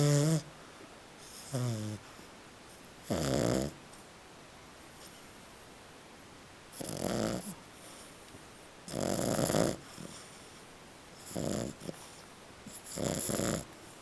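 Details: Little French Bulldog snoring while asleep, which is described as normal; a series of rough, breathy snores about every one to two seconds, with longer quiet gaps between some of them.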